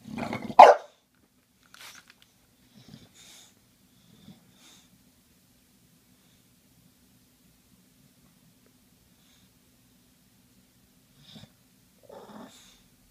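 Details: An English Bulldog that hates the spray bottle gives one short, loud, rough bark at it, followed by near silence and a few faint snuffles.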